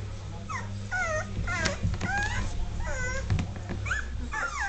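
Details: Dogue de Bordeaux pups, 2.5 weeks old, taking their first wobbly steps. They make repeated short whimpers that bend up and down, with one or two overlapping squeaks, over a constant low electrical hum.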